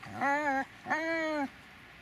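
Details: Dobermann Magmar von der Burgstätte producing two long, steady, tonal whines, each lasting about half a second, the second slightly longer, with a brief gap between them.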